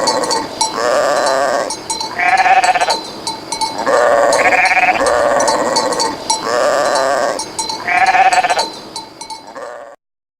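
Sheep bleat repeatedly, loud wavering baas overlapping one another with a faint bell.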